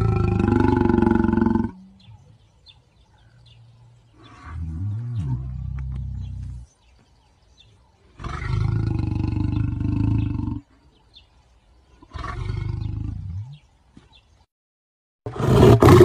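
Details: Lion giving deep, harsh roars in long bursts of about two seconds, separated by silent pauses, with a short loud burst at the very end.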